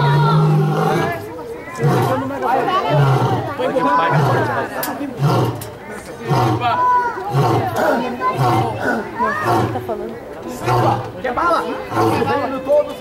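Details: A lion, sounding hoarse, gives deep, throaty grunting roars about once a second while people nearby talk and ask it to roar.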